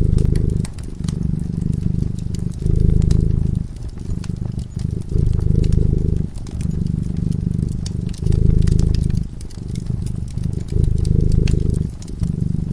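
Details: Fireside slumber: a sleeping cat's deep purr rises and falls in regular breathing cycles about every two seconds, accompanied by constant light crackling from the flames.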